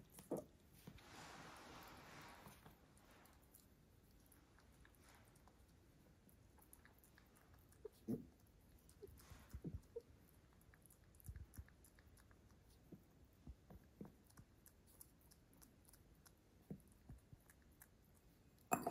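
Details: A free-roam house rabbit drinks water from a bowl indoors, its soft, irregular lapping clicks surprisingly loud; the owner feels the rabbits drink more in warm weather.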